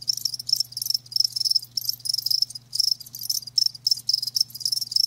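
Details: High-pitched chirping from live crickets, short ringing pulse trains in close succession, a few brief pauses between groups, and a soft constant low hum.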